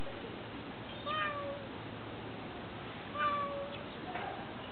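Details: A cat met outdoors on a walk gives two short, clear meows about two seconds apart. Each is a steady tone that dips slightly at the end, heard over a soft, even background hiss.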